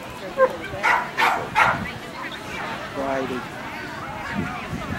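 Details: At the 2009 Eastern Specialty show for Kerry Blue Terriers, a dog gives a burst of four short, sharp barks within about a second and a half, followed by people talking amid hall murmur.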